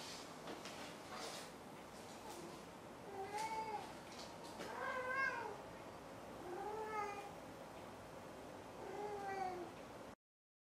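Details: Maru the cat utters a series of shorter, softer meows, about five calls spaced one to two seconds apart. Scattered clicks and tapping noises fill the room before the sound cuts off.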